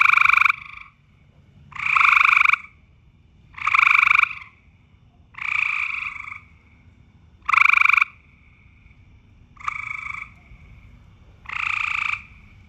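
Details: A frog gives loud, harsh, nasal croaks, each under a second long, repeated about every two seconds, during mating season.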